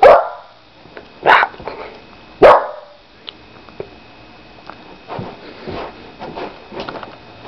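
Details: Four-month-old Labrador and Pit Bull mix puppy playing indoors gives three sharp, loud barks about a second apart, followed by softer scuffling sounds and faint yips in a small room.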